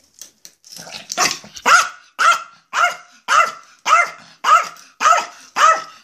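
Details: Excited about going out of the house, Maja the Yorkshire Terrier barks in a sharp, high, steady series of about nine yaps, evenly spaced around twice per second after a few softer opening sounds.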